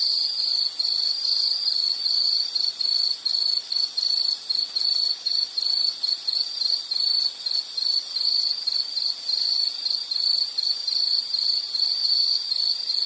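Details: Shrill insect chorus: an unbroken high, pulsing trill with a steady buzz, its loudness dipping briefly many times in a quick irregular rhythm, and fainter shimmering tones above; nothing else is heard.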